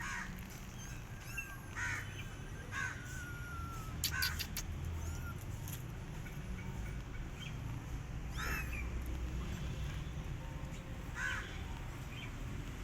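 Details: Lone rescue kittens, unfed by their mother cat, cry in high, thin mews that fall in pitch, about five separate calls spaced a few seconds apart over a constant low background rumble.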